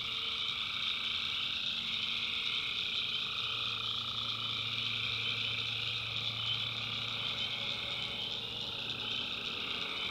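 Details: Night chorus of tree frogs from a North Carolina backwoods swamp, many callers blending into continuous high buzzing trills, one band shifting pitch near the start, no gaps or pauses throughout.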